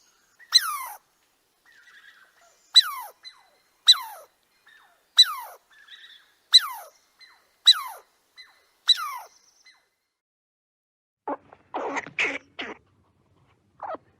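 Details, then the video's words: Squirrel calling: seven sharp, high whistled notes, each sweeping steeply downward, spaced about one to one and a half seconds apart, followed by a burst of rough, scratchy chatter and a final faint note, in an otherwise silent background. "Squirrel noises, squirrel sounds, and squirrel sound effect"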